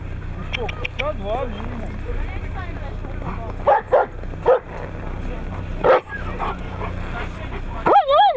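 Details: Siberian Husky in Nizhny Novgorod on 3 February 2017, competition day; wavering, rising-and-falling yodel-like vocal sweeps mixed with short sharp yips, over a person's speech and low background hum.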